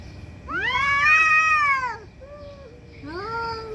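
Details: Angry cats fighting loudly: a long, drawn-out wailing yowl that rises and then falls, followed by a softer low moan and another rising wail.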